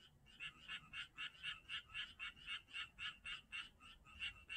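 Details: Frogs calling at Janghyeon-dong: a steady chorus of short, bright croaking pulses, roughly four per second, each with a rasping buzzy quality, pulsing on and off evenly with faint low rumble beneath.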